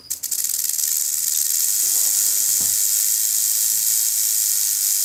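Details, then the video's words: Warning rattle of a threatened rattlesnake, the venomous cascavel, signalling to predators: a few stuttering pulses at the start quickly merge into a continuous, high, sizzling buzz. "Cascavel Som do Chacoalho da Cascavel"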